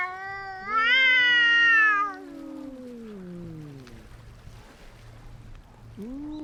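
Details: A domestic cat fight: one loud rising yowl holds briefly, then slides down into a long descending moan, quiet follows, and a new low growl begins at the end.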